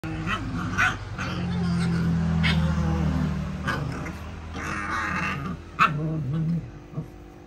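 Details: Puppies playing, giving short high yips, soft whimpers and low growls in irregular bursts over a steady low hum, with brief knocks and rustling between calls.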